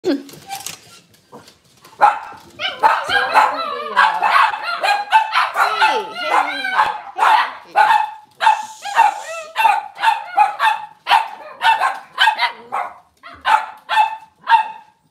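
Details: Cavalier King Charles Spaniels in a home kitchen on a cloudy Monday morning, with moms, puppies and sometimes dads about. Sharp barks come in a quick, uneven run through the second half, after earlier human voices and whiny sounds.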